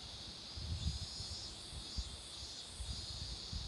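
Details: Cicadas drone in a steady, high-pitched buzz over the low rumble of nearby traffic beside a road lined with blooming marigolds.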